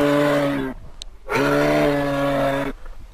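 A moose gives two long, low, steady moaning calls, each lasting about one to one and a half seconds, with a short pause between them.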